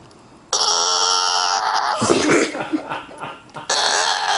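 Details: Male bulldog letting out a long, steady, nasal whine that breaks into rough grumbling sounds, then returns to the sustained whining tone.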